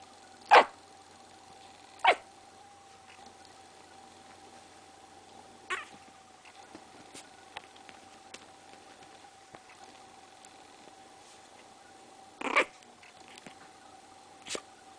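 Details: A 4-week-old female Maltese puppy gives her first barks, a few short, sharp barks spaced seconds apart over a steady background hum.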